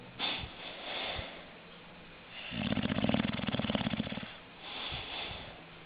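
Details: Snoring English Bulldog indoors, with soft wheezy breaths building to a long rattling, fluttering snore near the middle, followed by a gentler exhale; short snorts at the start.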